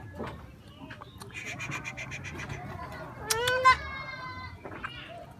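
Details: Young goat kid bleating while being brought freshly cut grass, eager for food: one short wavering nasal bleat, about half a second long, over people talking nearby and low background rumble.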